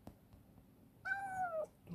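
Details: One clear, slightly falling meow from Chibikuro, a rescued black female cat, once a wary stray kept in a storehouse, now affectionate, heard during feeding in a quiet indoor space.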